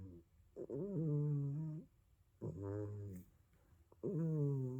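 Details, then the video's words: A snoring cat, asleep. Three drawn-out, low, buzzing hums come with brief, quieter gaps between breaths. The background is otherwise silent. "Snoring Kitty"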